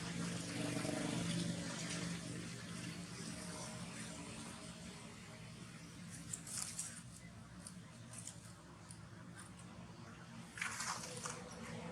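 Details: Running water splashes and hisses like a tap filling a sink, with faint muffled talk; no animal voice.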